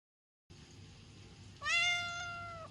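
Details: Domestic kitten or cat giving a single clear, drawn-out meow, steady then slightly falling at the end, after a half-second of quiet indoor hum.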